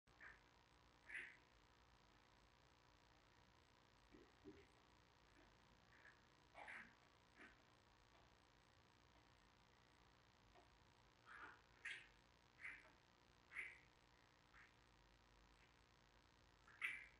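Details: Giant panda cub at day 10 at Smithsonian's National Zoo, in the den with mother Mei Xiang: faint, short high squeaky cries come singly at scattered intervals and cluster more often near the end, over a steady quiet hiss.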